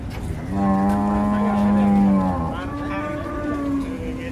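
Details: Huge cattle being unloaded from a truck, said to be rampaging, let out a long, deep, steady moo lasting about two seconds, followed by a second, weaker and wavering moo, with engine-like noise underneath.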